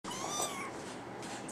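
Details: Brown tabby and white male kitten indoors giving a short, bright meow with rich overtones in the first half second, followed by quiet room noise.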